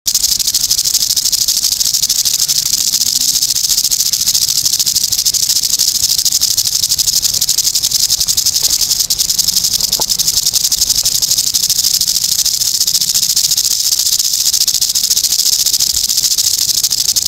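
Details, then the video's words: Eastern diamondback rattlesnake rattling; a continuous, steady high-pitched buzzing rattle that runs unbroken through the whole recording without pause. "EASTERN DIAMONDBACK RATTLESNAKE"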